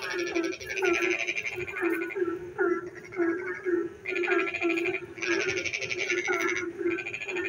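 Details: Frogs calling at night in the rain, giving bright rattling bursts that come in quick succession, some back to back, above an unbroken low-pitched chorus in the background.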